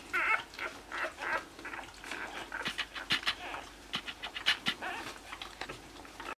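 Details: A 60-hour-old newborn Basenji puppy (Canis familiaris) whimpers, with thin, high squeaks and whimpers in quick, uneven bursts.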